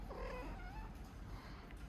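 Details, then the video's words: A domestic cat waking up purrs with a steady, low, rapidly pulsing rumble. "Cat Mia makes purring sounds when waking up"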